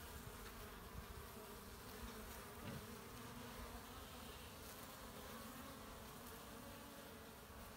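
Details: Many honey bees collecting pollen on 18 March 2018 make a steady, low droning buzz of wings overlapping into one continuous hum.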